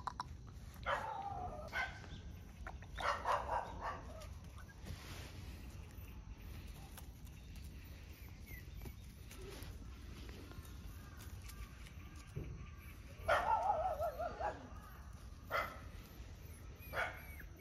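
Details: Puppy aged one month, out for its first time outside, lets out clustered squeaky yaps near the start and again near the end, with a long quiet gap of background hiss between.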